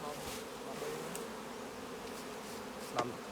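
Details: Colony of honey bees humming inside a full hive during honey harvest by beekeepers; continuous low buzzing drone, soft scattered clicks and a short knock near the end.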